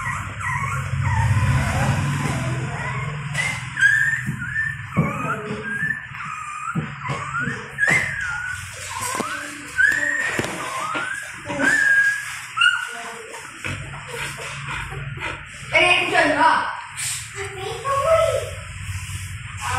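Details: Hungry newborn Golden Retriever puppies whose eyes have not opened call for their mother to breastfeed: many short, arched, squeaky whines repeat in quick succession, with a low rumble at the start and scattered clicks and bumps.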